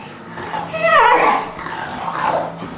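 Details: Dog growling and whining while an English Bulldog plays with a three-month-old English Mastiff pup; a short whiny, rising then falling vocal sound around the middle, with a low steady hum underneath.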